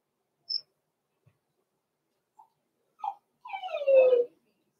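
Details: Six-week-old blenheim Cavalier King Charles Spaniel puppies, Roman and Blue, born November 14, 2022, in an indoor home puppy pen: a few faint squeaks, then one loud, drawn-out whine sliding steadily downward for nearly a second in otherwise quiet surroundings.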